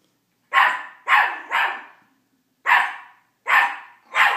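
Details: Small male teacup Miniature Pinscher yapping at his reflection in a rapid string of six sharp, high barks, first a close triplet, then a gap and three more spaced about a second apart.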